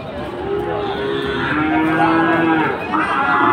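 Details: Sahiwal bull at Ambari haat cattle market on Monday 24 July, as Chattogram traders buy bulls: a long, level, humming moo lasting about two seconds, then a brief higher call, amid steady market crowd noise.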